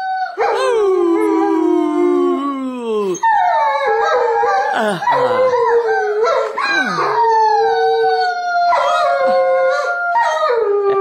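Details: German Shepherd joining a child's singing at home on Christmas morning: a long falling howl, then a run of shorter swooping, quavering howls at varied pitches, voices mingling throughout.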